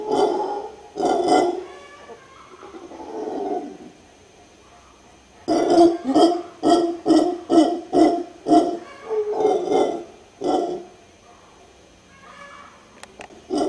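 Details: Guttural howling of a howler monkey in Guanacaste, Costa Rica: two opening roars, a fading growl, silence, then a fast series of about ten hoarse barking pulses, with a softer grunt at the end.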